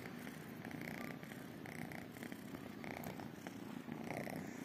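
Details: Two calico kittens and one tabby kitten purring as they wait for affection and food; a steady, close, rumbling purr pulsing in regular breaths throughout.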